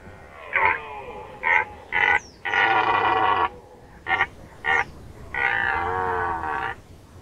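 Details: Rutting red deer in Nationalpark Unteres Odertal, 2019. Short, hoarse roars come in a rough series of barks, then longer grinding bellows, each burst loud and rasping, separated by brief quiet gaps.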